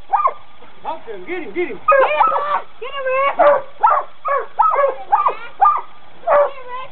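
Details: Coonhounds in training bark in a steady run of short, sharp, ringing yelps, roughly two per second, with a brief quieter stretch early on and human voices nearby.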